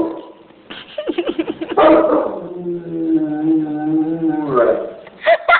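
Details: Saint Bernard named Zeus howling after a tornado warning had been issued, reacting to sirens: a few choppy yelping notes build into a long sustained, wavering low howl, ending with short sharp sounds.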